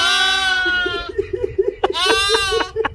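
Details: Sheep 'talking back' with a long, harmonic-rich bleat lasting about a second, then a stuttering run of short pulsed notes, and a second quavering bleat near the end. Indoors, with no other clear sounds.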